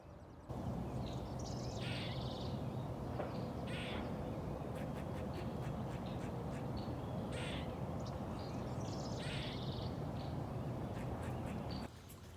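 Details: An eastern gray squirrel in a Minnesota backyard, having chased away a rival, gives hoarse, nasal, quacking calls in short repeated bursts, like a grumbling duck.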